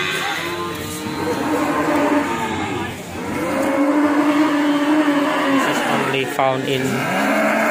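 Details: Ongole cattle from Indonesia, a herd mooing together: long, low, overlapping calls, one held steady for a couple of seconds, with a brief sharper cry near the end and constant crowd-like background noise.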